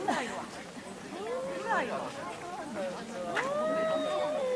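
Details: Pet cats squabbling at home: short sliding cries give way to a rising then sustained, tense wail at the end, over busy background chatter.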